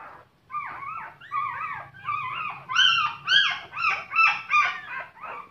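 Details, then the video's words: Puppies crying in drawn-out, wavering whines and yelps, several voices overlapping, growing louder and higher midway and pulsing roughly every half second, over a low background hum. "Crying Puppies"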